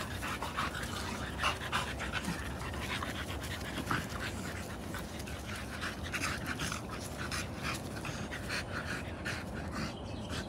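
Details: Merle American Bully puppies playing, heard as fast, breathy panting with brief scratchy bursts of movement and a constant low background rumble.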